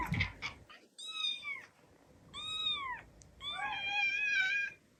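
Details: Domestic cats indoors reacting to a kitten's recorded meows being played; three drawn-out harmonic meows, the last one longer and wavering, after brief rustling at the start.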